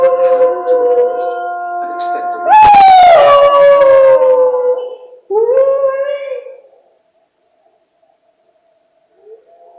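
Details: Hound dog howling at wolves: a sustained tonal howl that swoops in sharply, slides slowly downward over a few seconds, then a shorter rising howl, followed by near silence; fainter distant howls precede it.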